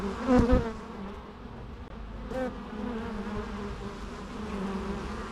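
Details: Bees droning steadily, with one insect passing close in a brief loud buzz near the start and another weaker fly-by around two and a half seconds.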